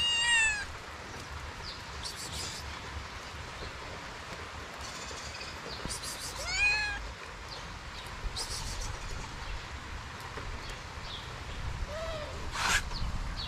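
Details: Hungry stray kitten in Morocco, wary of approaching, gives three high, plaintive meows spaced several seconds apart: at the start, midway and near the end, against a steady background hiss.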